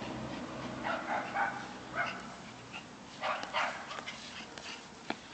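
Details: Pair of cream Shiba Inus at play, captured with an Android phone: scattered brief yelps and whimpering grunts, several quick notes in clusters around the first and fourth seconds, with a few sharp clicks and a quiet background.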